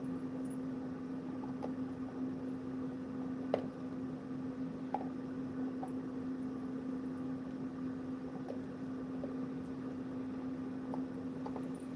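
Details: A steady low electrical hum runs beneath quiet room noise, broken only by a few faint clicks and knocks; no animal is heard.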